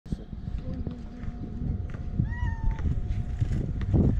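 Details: A male cat with a white-tipped tail, described as a Damat cat, seeking affection rather than food gives one short, rising then falling meow midway, over low rumbling handling noise and faint voices.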